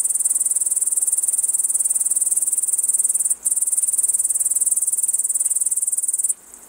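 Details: A long-winged bush cricket (Tettigonia dolichoptera), perched atop tall grass in a lowland meadow to make its song stand out, sings a continuous, high, hissing buzz made of rapid pulses.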